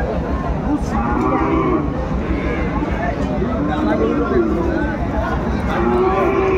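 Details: Sahiwal bull calves at a busy cattle market in Kurigram, Bangladesh, on 22 March 2025. Several drawn-out, level low moos sound through constant crowd chatter and haggling voices, with the longest call near the end.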